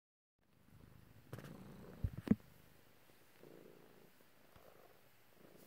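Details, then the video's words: Pet cat purring indoors while being petted by its owner, one of two cats present; a soft, continuous low rumble runs throughout, with a few brief louder handling thumps midway. "Just some kitty loving & purring"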